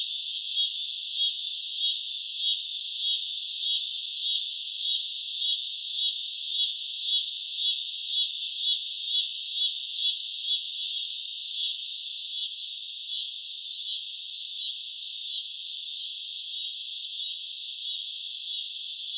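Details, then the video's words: Cicadas on a summer night: a high buzzing chorus that pulses in clear waves about every half second for twelve seconds, then settles into a smoother, quieter drone. "CICADA SOUNDS - Sound Effect of Cicadas in Summer at Night - Sounds of Cicada (Chicharra, Campanero)"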